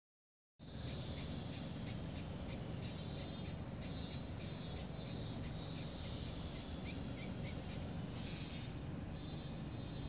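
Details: Longhorn beetle squeaking: short scratchy pulses repeated about four times a second, uneven in spacing, over a loud steady hiss that runs through the whole recording.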